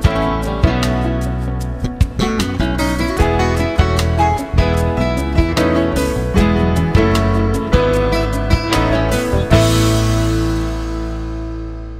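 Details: Strummed acoustic guitar music plays throughout, with no animal sound.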